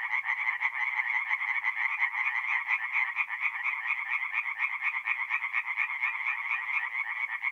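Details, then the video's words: Tree frogs singing by night at a forest pond in mid-April in north-east Italy: a dense chorus of rapid, rasping pulsed calls, many voices overlapping into a continuous throbbing wall of sound with no other noises. "relaxing forest pond by night with singing tree frogs"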